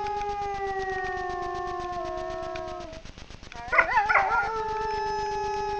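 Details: Wild grey wolf pair howling together at night in front of a camera trap in the Frýdlant region, Czechia: long steady howls gliding slightly downward, then a break and a burst of wavering, yelping notes before the smooth howling resumes.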